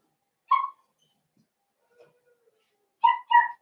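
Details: Blenheim Cavalier King Charles Spaniel puppies from a litter of five born at New Year in an indoor puppy pen: one short high whimpering squeal, a faint murmur, then two quick clear yelps close together near the end; otherwise quiet.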